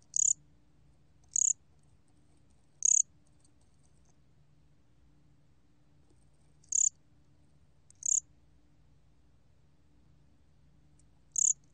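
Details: Korean bear cricket (gom-gwitturami) recording from 2020 by the National Institute of Biological Resources: the cricket gives short, high, shrill chirps at irregular intervals of one to four seconds.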